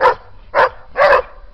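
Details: In Siena, Italy, in November 2011, a German Shepherd in its garden gives three loud, sharp barks about half a second apart, the last longer and fuller, protecting its territory from two Belgian shepherds eating its food, yet backs away.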